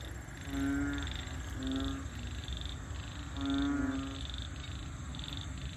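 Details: Frogs singing in a rural-like wetland at Bình Quới on the Thanh Đa peninsula, Ho Chi Minh City, Vietnam; harmonic croaks of about a second each repeat irregularly, with buzzy rasping notes and steady high tones above, over low rumbling background noise.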